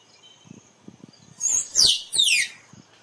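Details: A squirrel's cry, meant for luring squirrels to photograph: soft low tapping at first, then three loud shrill squeaks sliding steeply downward, the middle one harshest.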